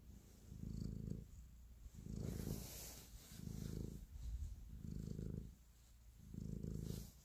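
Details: Cat showing affection while kneading, purring in five evenly spaced rumbling waves, each roughly a second long with softer lulls between, plus occasional faint brushing sounds from movement.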